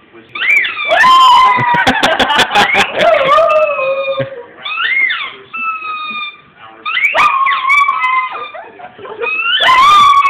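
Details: Dog angered by a squeaky toy: loud, wavering whining howls that rise and fall, some sliding downward, in several bursts across ten seconds, with rapid rough pulses early on and high steady squeaks between the calls.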